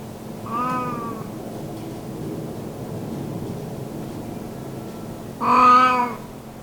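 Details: Old cat basking in the sun gives a rare meow: one brief, gentle meow, a long quiet gap with faint background hiss, then a louder, fuller drawn-out meow.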